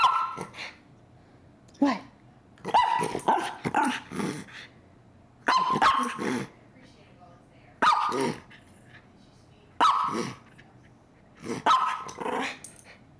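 A Miniature Schnauzer "talks" in a run of short, warbling barks and throaty grumbles, each burst rising and falling in pitch. Between the bursts a person's voice can be heard speaking to the dog.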